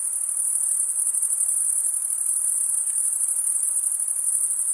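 A dense, continuous high-pitched insect trill fills the night without pause.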